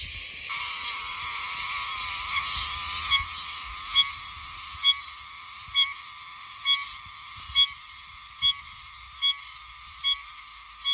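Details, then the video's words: Meimuna oshimensis cicada singing in green areas north of Okinawa City, Okinawa: a steady high buzzing drone broken by rhythmic pulsed phrases repeating roughly once per second, with a lower banded tone running beneath. "オオシマゼミの色はキレイだ💎セミの鳴き声cicadas 沖縄"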